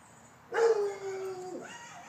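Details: A Rottweiler guard dog gives a single drawn-out, ringing bark during a home-protection alarm test around the backyard.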